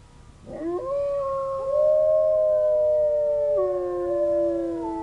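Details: A zoo wolf begins howling in reply to sirens far away, opening with a short scoop upward, then a smooth, sustained howl held steady before stepping lower, with a second voice faintly alongside.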